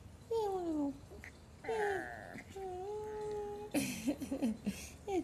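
A Shih Tzu puppy gives high, squeaky whines that slide downward, then a burst of short yips.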